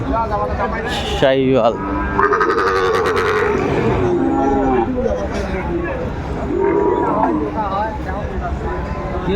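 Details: Lowing of Sahiwal bulls and calves at a crowded cattle market, Dhaka buyers, 29 December 2024; a few deep, sustained moos rise through constant loud chatter and haggling over prices, with a brief burst of music.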